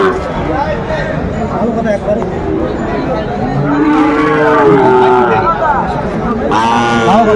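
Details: Sahiwal cattle at a busy Comilla, Bangladesh market on 17 January 2025, where a Sahiwal bull is bought: a long rising-and-falling moo near the middle, another starting at the end, over a constant din of crowd voices.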